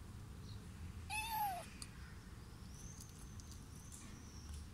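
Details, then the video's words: Little rescued kitten inside a carrier gives a single short meow, rising then falling, about half a second long, over a steady low background hum. "Little rescued kitten is meowing inside the carrier"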